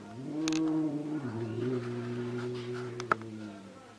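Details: A low, steady, growling yowl from angry cats drones on with slight wavers in pitch, interrupted by a single sharp click near the end.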